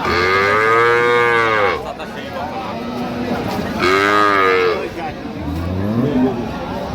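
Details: Dairy cows and calves of improved breed at Ambari cattle market, Dinajpur, on 15 September; two long, loud, drawn-out moos with rich harmonics, then a shorter rising low call, over a busy background of market noise.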